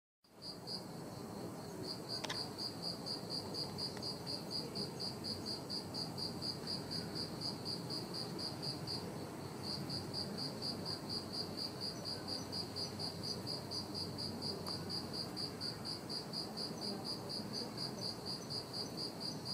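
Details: A bell cricket on the mid-autumn full-moon night of 21 September 2021 rings out a clear, high, bell-like trill in steady pulses, with a soft hiss behind.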